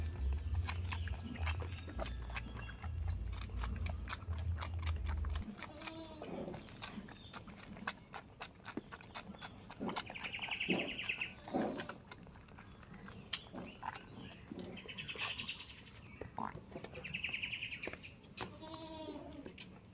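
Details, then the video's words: Farm goats in a village, giving several wavering, harmonic bleats, some drawn out and others shorter, spaced through the middle and end. A low rumble fills the first five seconds, with sharp clicks and knocks throughout. "farm goats, most beautiful farm animal,sheep sound"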